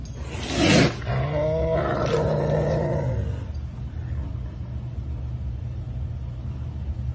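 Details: Aggressive Savannah cat eating chicken gives a sharp burst, then a low, rumbling harmonic growl lasting about two seconds before fading into a steady background hum.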